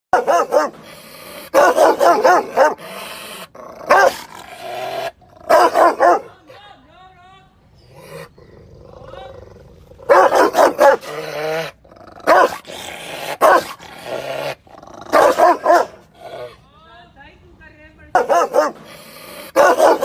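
A Rottweiler delivers loud, harsh barks in clustered bursts, each volley a few quick, heavy woofs. Between the volleys come lower rumbling growls and softer vocal sounds.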